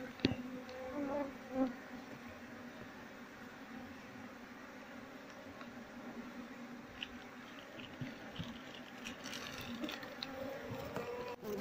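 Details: Honey bees being moved into a cultivation box once their queen is inside, the colony gathering around her: a steady, low droning hum of many bees runs throughout, with a few brief louder buzzes and soft clicks.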